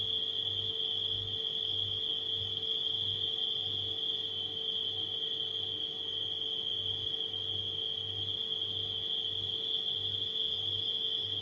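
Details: Unchanging high-pitched ringing of nighttime crickets, heard together with a refrigerator hum that throbs deeply in repeated swells throughout.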